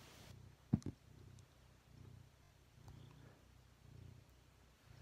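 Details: Cat purring steadily with a low, rhythmic rumble that swells and fades in slow cycles, broken by one sharp click near the start.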